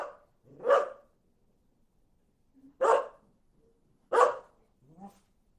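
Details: Dog barking: three loud, broad, harsh barks spaced about a second and a half apart, with a softer low whine or grunt between them and at the end; otherwise quiet background.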